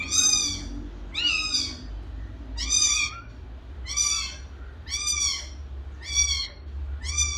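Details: Loud, insistent kitten meowing, about seven bright high cries in quick succession, each sliding up then down, close and clear over faint low hum.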